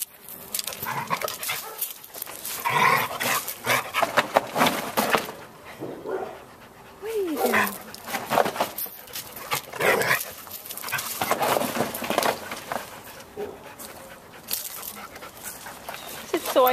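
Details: Two shelter dogs at the Putnam Humane Society in Carmel, New York, playing together: Anya, a female Border Collie mix, and Sawyer, a Muttigree. Rough breathy panting and scuffling bursts throughout, a brief rising-then-falling whine midway, and a person talking.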